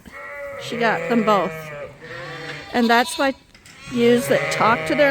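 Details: Suffolk lambs mixed into one big group in a barn at Ewetopia Farms bleat in overlapping bursts, several wavering, quavering calls rising and falling together in three clusters, with brief pauses between.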